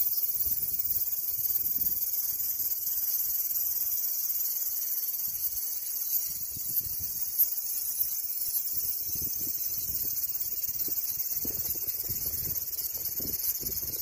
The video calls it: Cicada Sound